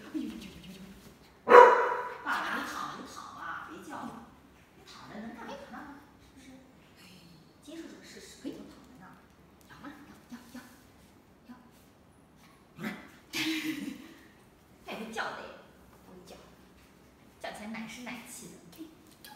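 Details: A fluffy corgi puppy, at her first play time with her mother and chasing a new toy, gives a sharp, high bark, then softer yips among people talking.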